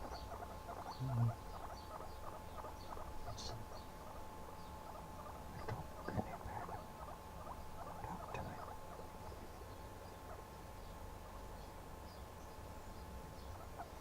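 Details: A guinea pig sitting on a person's shoulder makes soft, rapid chattering squeaks in irregular bursts over a low steady hum; it is possibly unsettled by seeing its own reflection.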